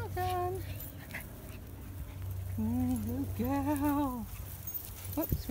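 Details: Jack Russell Terrier, a female, riding in a car, gives drawn-out wavering whines that rise and fall in pitch, two long whines in the second half, over steady low engine hum while a woman praises her and talks.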